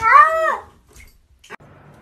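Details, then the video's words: Cat letting out one short, arched meow that rises and then falls, followed by a faint click in a quiet room. "FUNNY TALKING CATS"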